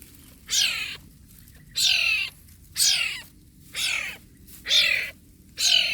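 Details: Wild cat kitten in Borneo, at Sei Cuka; high, thin descending cries repeated about once a second, six in a row, over a quiet steady background hum.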